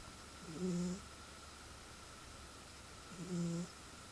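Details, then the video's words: A domestic cat snoring loudly while asleep indoors. Two low, rasping snores with a hoarse overtone, each about half a second long and roughly three seconds apart, over a quiet room hum. "Snoring Cat"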